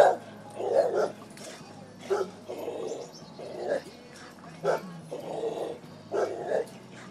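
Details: Dog named Bonnie, asked questions at home, answering with short, low, growly woofs, roughly eight separate bursts spaced about a second apart, with quiet gaps between.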